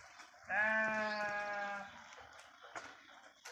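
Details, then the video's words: Sheep grazing on grass in a forest: a single loud, steady, nasal bleat lasting about one and a half seconds, then quiet rustling and faint clicks. "అడవిలో పచ్చిక మేస్తూ సేవ తీరుతున్న గొర్రెలు"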